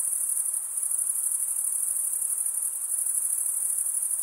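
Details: Night-time summer forest crickets keep up a piercing, even high trill, rapidly pulsed and continuous, with a low hiss beneath and nothing else heard.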